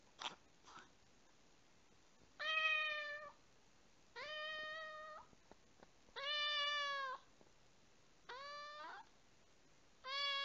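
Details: Repeated meows from a rescued house cat kept indoors. Five sustained, slightly rising harmonic cries come about every two seconds, with soft taps and a faint hiss in the gaps.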